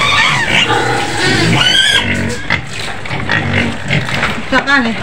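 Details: White pig in its pen on the outskirts of Medan, screaming repeatedly: harsh, wavering high squeals that rise and fall in quick bursts, with human voices mixed in underneath.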